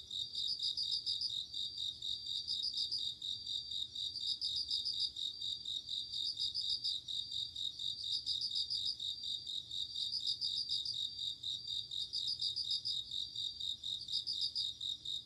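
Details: Bell cricket on an autumn night: high, bright pulsed trills in bursts roughly every one and a half to two seconds, ringing over a steady high-pitched chorus of other night insects.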